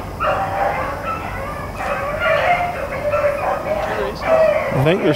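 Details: Hounds running rabbits, Blackcreeks and Blueticks, April 4, 2013: drawn-out, wavering bawls and howls blend together from the pack, ending with a sharp sweeping sound close by.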